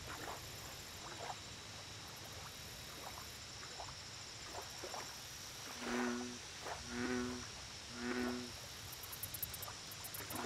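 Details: Lakeside American bullfrog giving three low, resonant croaks about a second apart late in the recording, after a stretch of faint background noise. A steady hum is present and high insect pulses start near the end.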